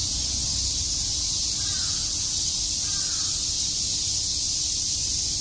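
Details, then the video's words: Steady, high hissing drone of cicadas chirping through a summer day at Shakujii Park, Tokyo, with two faint distant bird calls in the first half. "Cicada chirps"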